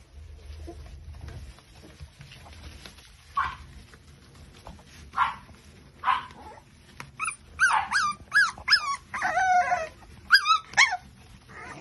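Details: Five-week-old Micro Bully puppies from a litter, soft scattered grunts at first, then a quick run of high, squeaky yips and whines in the second half.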